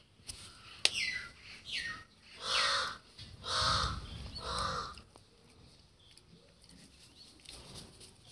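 A Golden Retriever gives three hoarse, drawn-out woofs after a few short whining yelps.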